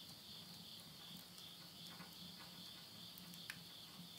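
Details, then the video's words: Midnight insect chorus at summer's end in rural Tottori, Japan, September 2020: an even, high, ringing trill without pause, a few soft crackles of stove flames, one sharp snap near the end, and a faint low hum. "the voice of insects"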